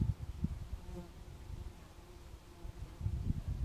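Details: On a warm summer day, a swarm of bumblebees gives a low, droning buzz that rises and falls as they fly close by.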